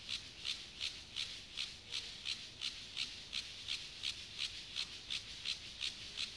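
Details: Siberian grasshopper, Gomphocerus sibiricus, male singing to a female during courtship: crisp, evenly spaced rasping pulses, close to three per second, high and hissing, with no other sounds.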